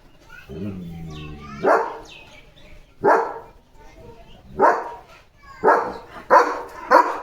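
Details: Marathi speech opens, then the German Shepherd Leo barks at another dog outside: six deep, loud barks at irregular intervals, the last ones coming closer together.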